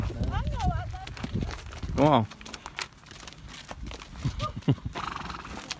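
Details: Free-roaming wild horses on a mountaintop outside Maetewan, West Virginia, once set free by owners. A short wavering whinny rises around the two-second mark amid women talking, hoof clops and outdoor rumble.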